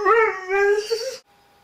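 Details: Frustrated one-year-old Doberman shut behind a door, eager to greet guests: a single drawn-out, howling whine held fairly steady for about a second, rich in overtones, with a brief dip in the middle, ending abruptly into near silence.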